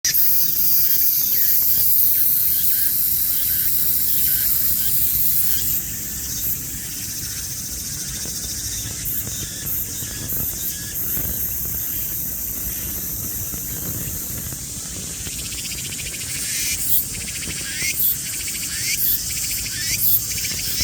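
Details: Cicada singing while creeping slowly along as it moves, a steady high hissing buzz that shifts in intensity, with short brighter pulses breaking through in the second half.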